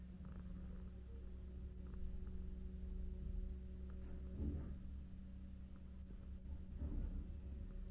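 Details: Female stray cat at a flat, kneading her new bed before falling into a nap, purrs in a steady, continuous low rumble; soft rustling bursts rise over it around the middle and near the end.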